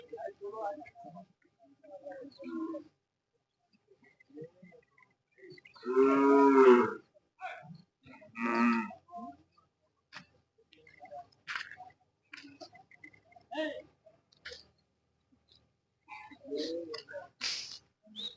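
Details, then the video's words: Hallikar cattle at the Jodugatte cattle market, held every Sunday: one loud, deep harmonic moo near the middle and a shorter second low call soon after, amid scattered voices, crowd bustle and snatches of music. "ಜೋಡುಗಟ್ಟೆ ಸಂತೆಯ ಹಳ್ಳಿಕಾರ್ ತಳಿಗಳ"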